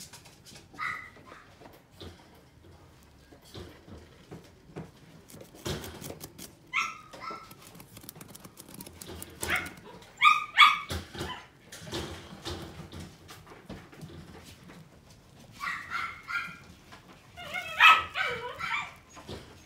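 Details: Pomeranian-Chihuahua mix at a pet shop in Omihachiman, Japan, giving short, high, yappy barks in scattered bursts near 1, 7, 10, 16 and 18 seconds, with indoor clatter and shuffling between them.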